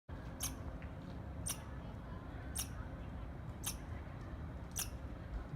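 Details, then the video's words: Squirrel chirping: five sharp, clicky broadband chirps, each very brief, spaced about one second apart over a steady low rumble. "Squirrel Chirping Sounds"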